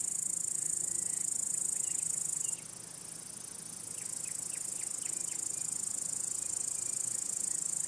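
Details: Crickets, males calling to draw or court females or drive away other males, keep up a continuous very high, hissing trill that softens partway through while faint quick chirps flicker in the background.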